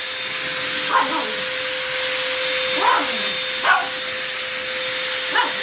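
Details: Four separate sharp barks from a dog confronting a vacuum cleaner, spaced about one second apart, each cutting through the steady roar and high-pitched whine of the appliance.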